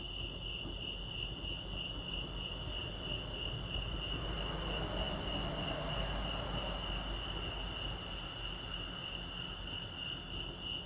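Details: Crickets chirping at Lake Arrowhead, California: a steady, high, pulsing trill that holds one pitch throughout, over a broad low rumble of background noise that swells toward the middle.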